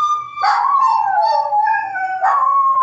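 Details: Dog family, a mother with her puppies, heard up close: a long, clear whining howl that wavers and slides downward, then lifts into a second whining burst near the end.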